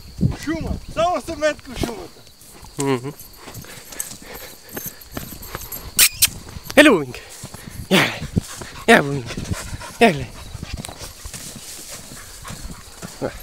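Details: Puppies giving high, wavering whines and short yelps in irregular bursts, some rising then falling, scattered with sharp knocks and people talking nearby.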